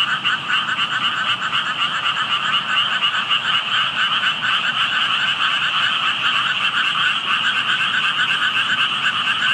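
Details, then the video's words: Unseen frogs calling by water holding tadpoles, noticed while walking past: a thick, continuous chorus of fast pulsed croaks, about four per second, overlapping voices forming a constant buzzing wall of sound. "개구리 소리"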